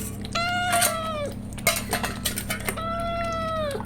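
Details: Pregnant domestic cat resting indoors as she prepares for her kittens, giving two long, clear meows, each steady and drawn out then dropping at the end, with a pause between them and a low hum in the background.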